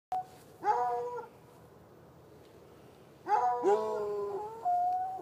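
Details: Two chained hounds, one white and one dark, barking on a Saturday night in a bushy lot near an irrigation ditch, heard from about ten yards away; two bursts of drawn-out, harmonic baying separated by a quiet pause.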